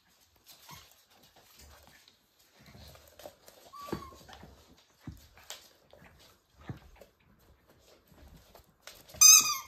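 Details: Pembroke Welsh Corgi puppies born 31 January 2023, a litter of five males and one female, playing on 17 March 2023, give thin, high whines and a sharp, ringing yelp amid soft scuffling.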